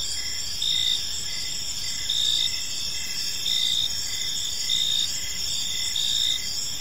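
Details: Crickets chirping in a peaceful park as evening unfolds; a steady high insect chorus with pulsed trills recurring roughly every one and a half seconds over a continuous shimmering drone, with faint low background hum.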